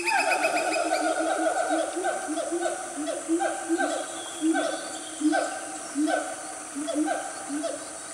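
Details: Loud family of wild Siamangs calling in Gunung Nuang forest, Selangor, Malaysia, about 10 am on a cool morning: a steady series of harmonic, downward-sliding barking hoots, roughly one per second, over a background hiss of insects.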